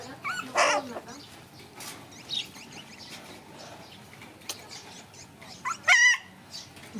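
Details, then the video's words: Playing puppies let out a couple of sharp, high yelps, one near the start and one near the end, with soft scuffling sounds in between. "Puppies start to play lots now"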